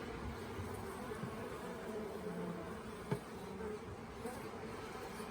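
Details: Honey bee swarm that had settled for a few days on the grounds of the Tamarind Tree Hotel late in the year, during capture into a nuc box. A steady, low droning hum of many bees with a brief click midway.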